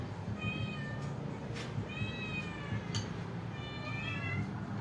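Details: Cats and kittens waiting for food: three clear, drawn-out meows spaced roughly a second and a half apart, each curving down at the end, with brief taps and a low hum underneath.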